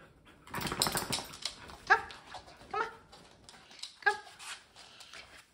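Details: Male Cardigan Welsh Corgi at home in a playful, naughty mood, ignoring his owners' commands; three short, harmonic yelping barks spaced about a second apart, following a burst of rustling noise, with a person speaking soon after.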